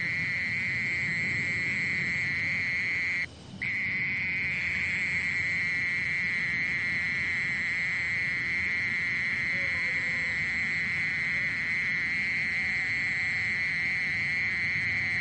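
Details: Mole cricket singing a steady, unbroken buzzing trill at a constant pitch. The song cuts out once for a moment near the start, then carries on evenly to the end over a faint low rumble.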